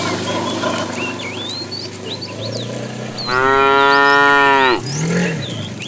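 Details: A fat, tame bull being herded in the afternoon gives a loud, drawn-out moo, calling to a female, while small birds chirp in the background.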